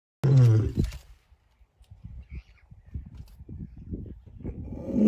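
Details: Lion roaring to keep rivals away: one loud, deep, harmonic roar at the start, then scattered quieter low grunts and rumbles building again toward the end.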